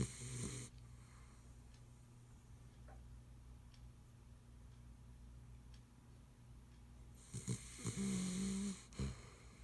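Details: Ace, a pit bull tired after working all day, snores very loud while asleep indoors: a harsh snore at the start, a quiet stretch, then a longer rattling, wheezy snore with a short tonal whine near the end.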